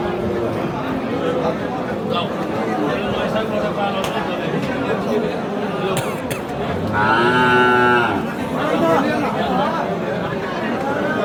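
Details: Friesian heifer calves at Aftabganj cattle market in Dinajpur, Bangladesh, 26 October: one drawn-out, steady moo of about a second rises out of constant crowd chatter and men's voices midway through.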